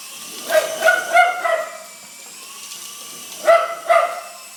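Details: A dog barks at a helicopter, a quick run of four yapping barks, a quiet pause, then two more barks, over a low steady hum.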